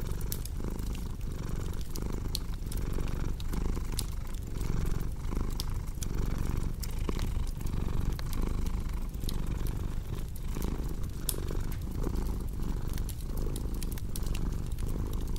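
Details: Domestic cat purring steadily in a low, rumbling drone, each breath cycle swelling and fading about every two-thirds of a second, with sharp pops and crackles of a cozy fireplace scattered throughout.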